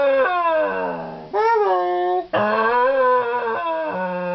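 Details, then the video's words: A male Scottish Terrier gives drawn-out, wavering howls that slide up and down in pitch, seemingly trying to say "hello", getting closer each time. "Basil The Scottish Terrier Dog howling, talking and saying 'hello'"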